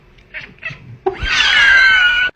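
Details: Domestic cat indoors, taught by its owner to 'laugh', vocalising on cue: two brief soft sounds, then a loud, strained, drawn-out meow-like cry sliding slowly downward for over a second before stopping abruptly.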